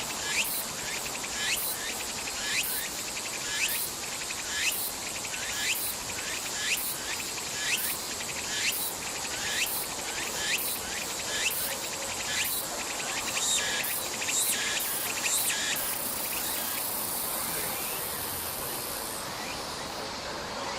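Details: Tsuku-tsuku-boshi cicada chorus in summer, Nishi Park, Sendai, Miyagi Prefecture, Japan, 14 August 2014: about fifteen rising, raspy phrases roughly once a second, closing in a long continuous high buzz before fading.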